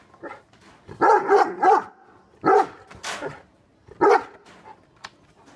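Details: Two angry dogs, a Great Dane and a Rottweiler, give loud, harsh barks in short clustered bursts with quiet gaps.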